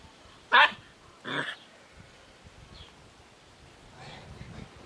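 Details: Young puppies from a litter born 20 March 2017 give two loud, short yelping barks close together, then fainter squeaks and rustling follow.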